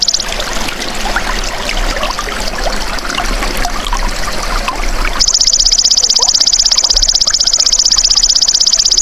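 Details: Belalang emas, the golden grasshopper, used as a tutor sound for caged songbirds. A sharp, high, buzzing pulse-train begins midway and holds steady to the end. Earlier there is only the trickle of running water.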